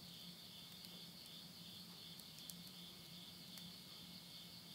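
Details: End-of-summer insect chorus at midnight in rural Tottori, Japan, September 2020, recorded near a burning wood stove: continuous high buzzing trill without pauses, a faint low hum, and scattered soft clicks from the flames.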